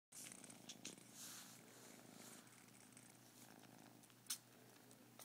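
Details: Kitten purring while a bigger kitten sucks on its ears; a soft, faint, continuous low purr with hissy background noise and a brief click near the end.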